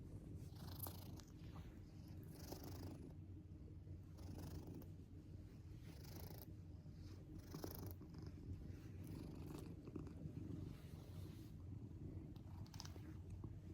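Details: Pet cat Shion snoring in a peculiar, childlike way: a continuous deep, buzzing rumble runs throughout, broken by soft breathy rasps every second or two.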